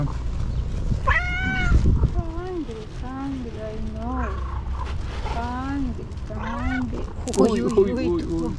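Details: Lovely pet cat producing a string of short meows and chirping trills, some rising and bending, about one every second, ending in a louder burst of overlapping calls, with low background rumble.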